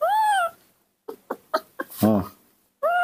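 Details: Baby monkey in the morning, rescued and hand-reared at home, hungry and impatient: two loud tonal cries that arch up then fall, at the start and end, with short bursts and a person speaking Indonesian in between.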